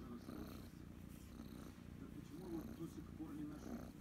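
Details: Loud, steady, low rumbling purr from female kitten Kryska as she is stroked and scratched behind the ear, the vibration swelling slightly midway; quiet Russian speech in the background.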